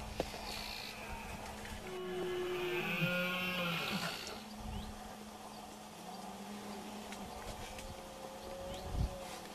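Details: Two red deer stags (Cervus elaphus) give deep, drawn-out rutting roars while fighting near a group of females, Sierra de la Culebra, Spain, September 2016.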